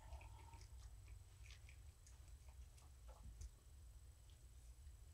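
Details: Morticia, a rescued female house cat found at the door of a Purrfect Pals volunteer, purring indoors while being petted in the evening. A low, steady rumbling purr runs throughout, with scattered soft clicks and rustles and a brief higher squeak near the start.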